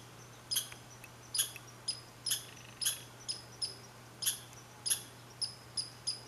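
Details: Red squirrel at Saint-Calixte, Lanaudière, 15 July 2020. Repeated shrill chirps come in a steady rhythm, some stronger with a sharp onset, about two per second, over a low background hum.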